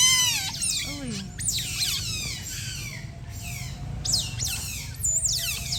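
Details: Otters playing while basking in sunlight keep up a steady chatter of shrill, falling squeaks and whines, voices overlapping almost continuously above a faint low hum.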